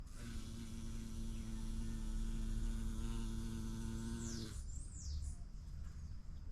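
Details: Bumblebee visiting a vibrant yellow orchid, filmed in natural light: a steady, low droning buzz holds for about four and a half seconds, then cuts off abruptly, with high descending bird whistles around the end.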